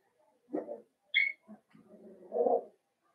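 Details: Indoor puppy pen holding five young blenheim Cavalier King Charles Spaniels born around New Year's; a soft grumbling whine, a sharp high squeak in the middle, then low throaty mumbling whimpers.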